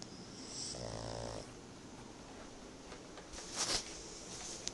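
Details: Tobias, a pet pug, snoring while napping: one short, quiet, buzzy snore near the start, then soft breathing and faint rustling indoors.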